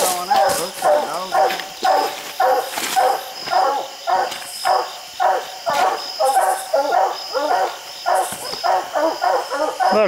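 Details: Hounds treeing a raccoon up a steep hillside bay in a steady chorus, ringing mid-pitched barks repeated nearly twice a second, several voices overlapping, with brush noise behind.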